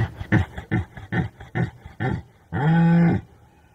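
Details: Rutting red deer calling: a series of five or six short, deep grunting roars about every half second, then one longer sustained harmonic bellow.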